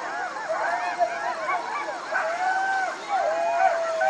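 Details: Several jackals calling together in a dense tangle of quick, arched, wavering cries and sliding wails, with no pause between them.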